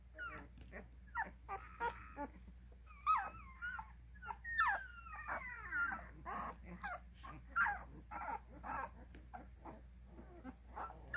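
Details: A litter of twelve-day-old Cane Corso puppies at a kennel fills the recording with many overlapping squeaks and short whimpers, rising and falling in quick bursts.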